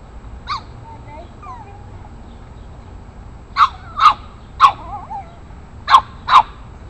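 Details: An 8-week-old Boston Terrier puppy confronts bigger dogs in the neighborhood. It lets out one sharp bark, then a run of five shrill, punchy barks roughly half a second apart. Faint squeaky whines fall between them.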